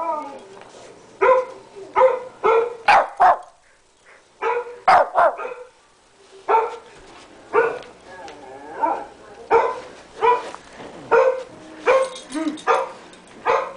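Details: Pet Shih Tzu Tommy, weighing 13 pounds, barks at the computer in fast bursts of yappy barks, a brief lull in the middle, then dense rapid barking again; faint human voice nearby.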